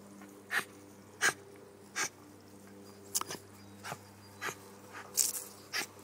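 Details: Wire fox terrier, a pet dog, going wild with excitement over a running garden hose; sharp, bright yelps repeated roughly every half to one second, with a steady low hum in the background.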